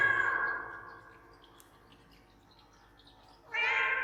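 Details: Domestic cat meowing insistently as if asking for something, with added echo; a meow's long fading tail opens, quiet room follows for about three seconds, then a sudden loud, bright meow starts up.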